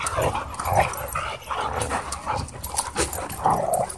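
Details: At a dog park, playing dogs keep up a run of short, gruff barks and growls, roughly two per second, over steady background noise.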